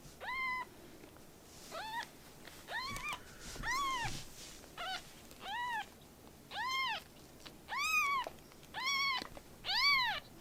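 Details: Rescued baby kittens meowing. About ten arched, high meows come at roughly one-second intervals, with some louder than others. Short quiet gaps fall between the calls.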